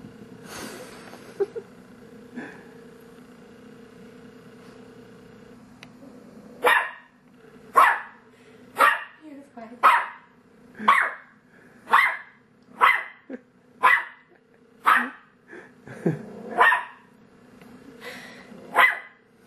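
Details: Pet dog Monty barking at his reflection, which he thinks is a phantom dog trapped in the entertainment center; after a quiet start with a low hum and brief speech, a long run of sharp barks roughly once a second, some lower and growling.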